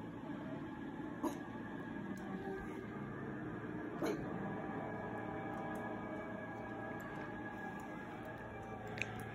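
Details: Steady indoor room noise with a low hum and a few faint clicks and taps, and no animal calling.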